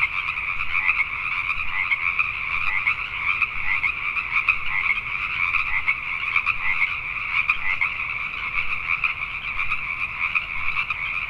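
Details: Nighttime chorus of Pacific tree frogs recorded in Richmond, British Columbia, Canada, with countless rapid overlapping croaks merging into a continuous, even, high-pitched drone throughout.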